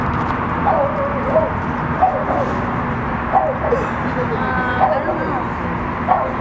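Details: Rudy, a Boston terrier, gives short high yips and whimpering barks, roughly one every second across the stretch, over steady indoor hum and a person talking in the background.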